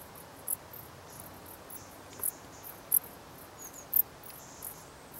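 Brief, very high-pitched 'psst' chirps from a dark bush cricket come singly at uneven intervals, roughly once a second. A soft steady hiss fills the background between them.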